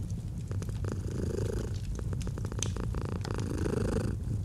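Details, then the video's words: Domestic cat purring gently in a cozy autumn setting: a steady low rumble pulsing in soft breath cycles, with crisp crackles and pops from a burning fireplace scattered throughout. "Fall asleep to the Purring of a Cat & Fireplace"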